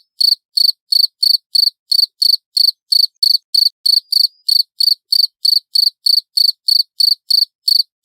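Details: Loud, clear cricket chirps for songbird training: crisp, high-pitched pulses repeated evenly at about three per second throughout, with nothing else audible.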